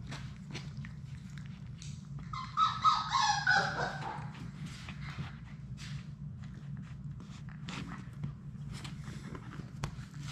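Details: Labrador Retriever puppies, six siblings playing together in an indoor puppy play room; a brief, whiny, harmonic yelp rises and falls mid-clip over scattered claw clicks, scuffling and a steady low hum.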